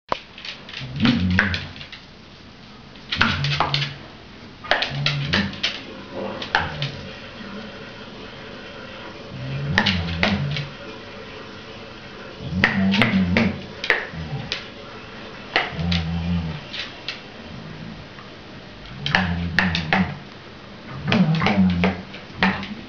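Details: Female Cardigan Welsh Corgi clapping her teeth indoors, excited by light reflections. Rapid sharp clicks come in bursts of a second or two, mixed with low grumbling tones, with short quiet gaps between bursts.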